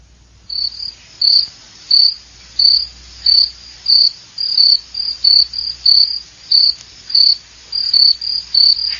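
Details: Cricket chirping steadily: short, sharp, high-pitched chirps repeated roughly every two-thirds of a second for about eight seconds, with a faint low hum underneath.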